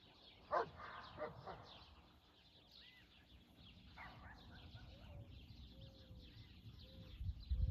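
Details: Great Pyrenees/German Shepherd mix dog talking to horses: a quick burst of deep, harmonic barks in the first second and a half, then a single bark near four seconds, with faint bird chirps and low rumbling in the background.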